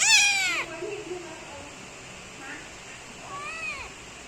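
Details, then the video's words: Young kitten meowing loudly while kneading its owner: a loud, high, falling meow opens, then quiet background hiss, and a softer arched meow near the end. "Kitten Want Give Me Massage and Meowing So Loud"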